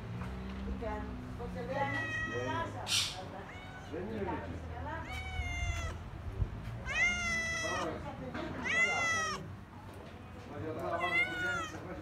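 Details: Cats near the sea at Kaloi Limenes, Heraklion, Crete, meowing repeatedly; several loud, drawn-out, rising-then-falling meows with rich harmonics come roughly every second or two, while a person talks softly in Greek and low wind rumbles underneath.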